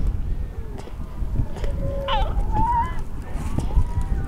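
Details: Harp seal near a just-born yellow-coated pup on the ice; a few drawn-out tonal cries, one sliding sharply downward and another held steady, over heavy low-pitched wind noise.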